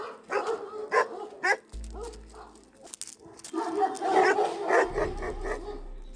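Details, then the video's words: Kangal dogs guarding nomads' flocks in Turkey, several animals barking in irregular bursts, deep repeated woofs overlapping, with pauses and low rumbling background noise. "GÖÇEBELERİN SÜRÜLERİNİ KORUYAN KANGALLAR"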